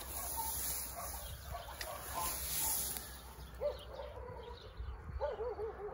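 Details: Abandoned baby kittens found helplessly meowing in the grass beside a dog shelter on a rainy day; a few short, arched, faint meows sound in the second half over steady rain-like hiss, with a human voice calling softly.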